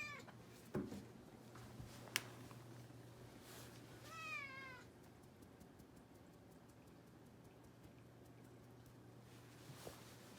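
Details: Indoor rescue kitten, one of a pair, at New Year after a treat, exploring near the stairs. It gives a short, faint, slightly wavering meow midway, among soft clicks and knocks in a quiet room.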